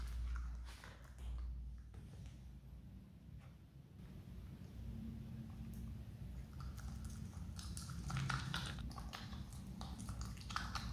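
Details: A pet Himalayan marmot chews a banana noisily, with soft, irregular crunching and wet clicking bites.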